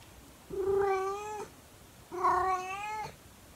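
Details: A 24-year-old calico cat gives two long, drawn-out howls at 6 in the morning, part of her daily howl, each steady and mournful and about a second long.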